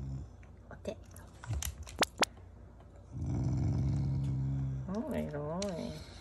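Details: Family Shiba Inu growling in affection, not anger, near feeding time: after soft talk and clicks, a steady low rumbling growl lasting nearly two seconds, ending in a short wavering whine-like rise and fall.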